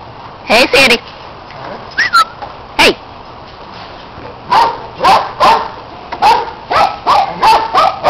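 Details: Household dogs Orphy and Sandy romp after a red Kong toy, Peg supervising and Riley next door barking along; a few scattered yelps, then a steady run of barks near the end, with a voice calling.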